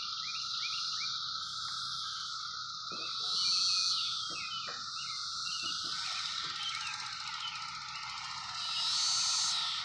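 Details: 17-year cicadas in fruit trees, present for a few weeks, forming a dense, steady hissing chorus with a constant droning tone beneath, swelling louder twice as nearby insects join.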